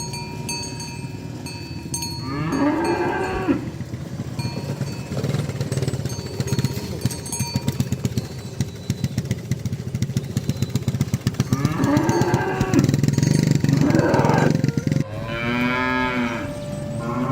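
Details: Cow calling friends to the pen while the herd is driven to the barn: short moos around three seconds, a longer pair near twelve to fourteen seconds and a final drawn-out moo, over constant clattering and rumbling noise.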